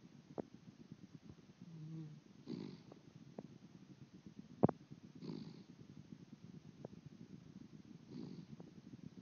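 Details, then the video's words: Miniature Dachshund puppy asleep and dreaming, snoring softly. Low, raspy breaths swell about every three seconds, with faint clicks and one sharp snort midway through a quiet indoor background. "Puppy Oscar Snoring"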